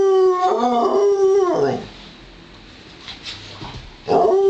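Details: During a play wrestling match between Joplin, a Ridgeback mix, and Romeo the Pomeranian, one dog gives a loud, wavering howl that dips and slides down after almost two seconds. A quiet pause follows, then another howl begins.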